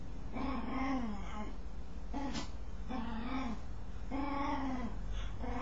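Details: Dog making a strange noise while scratching itself: four drawn-out, moaning calls of about a second each. Each is tonal and harmonic and arches slightly in pitch, over a steady low background hum.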